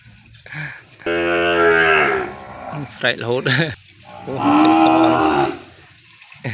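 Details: A young calf cries in its pen after being separated from its mother. One long, even, loud bawl is followed by a short wavering call, then another strained, loud cry a couple of seconds later.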